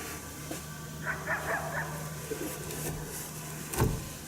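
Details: Unseen coyote at St-Andrews, 1 March 2019, barking its displeasure at a hunter during a coyote hunt. A quick run of four or five short, raspy barks comes early, then a few softer yips, all over a constant low hum and background hiss.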